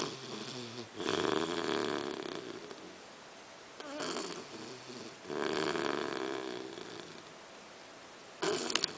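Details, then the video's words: Amy the English Bulldog snores loudly in deep sleep next to her chihuahua companion Nuguett, long rasping breaths about every one and a half seconds, each a broad rattling drone, indoors. "mi bulldog ingles Amy roncando junto a mi chihuahua Nuguett."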